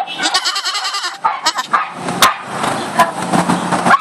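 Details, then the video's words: A goat bleating: a tremulous, wavering bleat fills the first second, followed by shorter broken calls among clattering, noisy background sounds. "Goat Sound"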